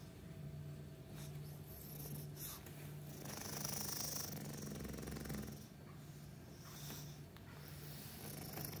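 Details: An English Bulldog sleeping on a cushion and chair snores with a low, rumbling drone and breathy rasps that swell and fade.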